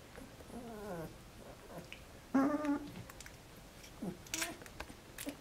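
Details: Sleepy, content 12-day-old Alaskan Malamute puppies, just after a feed, give soft, squeaky whimpers that slide downward in short bursts; Alaskan Malamute.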